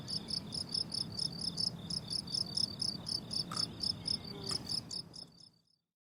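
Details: Crickets on a blooming summer meadow produce quick, high, metallic chirps at roughly four per second, steady and rhythmic, before the sound fades out into silence at the end.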